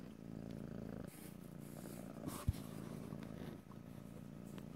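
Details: Domestic cat giving a steady low purr in stereo, rhythmic and rumbling, with a sudden thump and brief rustle near the middle.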